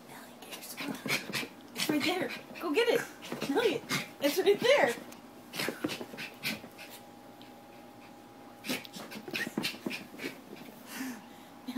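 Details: Nellie, a pet dog, having an episode, lets out a run of high, wavering whines and whimpers between quick panting breaths, with a person talking nearby.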